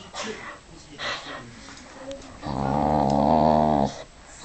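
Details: Vixie the pet dog ragging on a jumper sleeve indoors: after a few quiet rustles and soft voice sounds, one sustained low rumbling growl lasts over a second, then stops abruptly.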